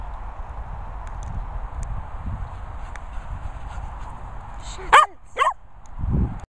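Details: Cocker spaniels, three dogs: a long stretch of rumbling, rustling background noise, then two sharp, high barks in quick succession, followed by a low thud.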